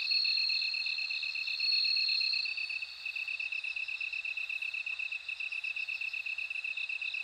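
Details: High, clear ringing trill of a bell cricket, strongest in the first seconds, then softer pulsed ringing over a quick, regular lower chirping from other insects.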